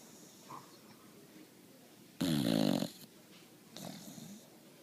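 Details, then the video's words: Boxer puppy snoring while asleep: one loud, rasping snore lasting nearly a second, then a softer, shorter snore, with quiet breathing between. "Boxer Puppy SNORING"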